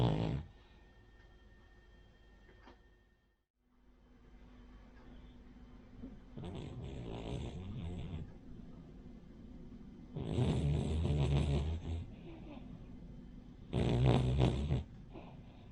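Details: Rin, a sleeping Cavalier King Charles Spaniel, snores like a flat-nosed pug or bulldog; low rumbling snore bursts come in loud broadband pulses a few seconds apart, indoors in a quiet room.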